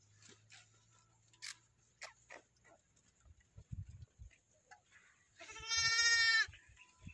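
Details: Day-old lambs in a village, one high harmonic-rich bleat lasting about a second near the end, preceded by scattered clicks, knocks and low thumps.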